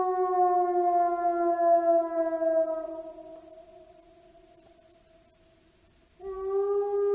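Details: A gray wolf gives a long, smooth howl that slowly sinks and fades, then starts a fresh note.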